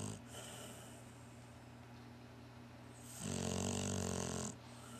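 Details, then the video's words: Snore from a sleeping Cocker Spaniel Shar Pei cross named Barclay: one loud, buzzing, rattling breath lasting over a second, strong low growly vibration with breathy hiss, between quieter wheezy breathing and constant indoor hum. "Cocker Spaniel Sharpai mix snoring!"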